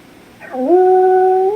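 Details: Indoor puppy howling while missing its owner: a short scooping onset rising into a long, steady, pure-toned howl held for about a second, ending with a slight upward lift, in a quiet room.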